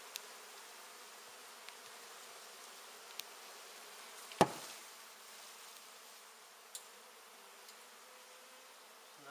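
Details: Massed honey bees humming in an exposed indoor hive, half open and half inside a wall, during removal and relocation. A steady low drone runs throughout, broken by one sharp knock near the middle and a few faint clicks.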